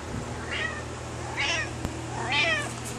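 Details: Pet cat meowing at its owner while telling about its day: three rising-falling meows spaced under a second apart, each brighter than the last, in a quiet room, with a man's voice asking what it is complaining about.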